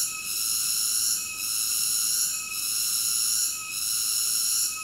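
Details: Shrill, hissy cicada buzz with sustained high tones, fading briefly about every one to one and a half seconds before resuming at full strength.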